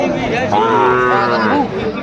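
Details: Sahiwal breed bull calf at a sale in Chattogram, Bangladesh, 17 December 2024, giving a single long, even moo that swells and fades within two seconds, with bargaining voices faintly around it.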